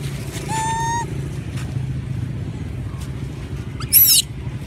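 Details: A hungry monkey crying for food gives one clear, steady tonal whine lasting half a second, followed near the end by a short shrill squeal, with a constant low hum underneath.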